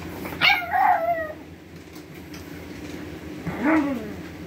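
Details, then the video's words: Pug named Huey howling like a wolf: a short wavering howl-yip that drops in pitch, then a quieter second bending whine a few seconds later, in a quiet room. "Howl like a Wolf."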